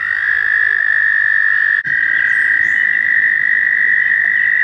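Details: Mating-season chorus of American toads at a shallow pond by Warbler Bridge, Wehr Nature Center, on a warm May day: one continuous, even, high-pitched trill runs the whole clip, broken only by a brief dip.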